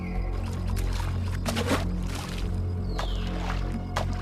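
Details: Low droning music with soft clicks and splashy rustles, and no animal voice. A brief descending whine passes midway through.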